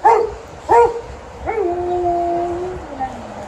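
Two short yelping notes, then a long, wavering Alaskan Malamute howl that slides slowly downward.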